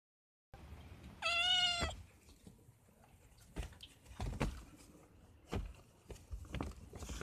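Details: Kitten hiding inside a sack indoors gives a single clear meow, about two-thirds of a second long, bright and richly harmonic with a slight downward bend, followed by soft rustling and scattered clicks of the sack.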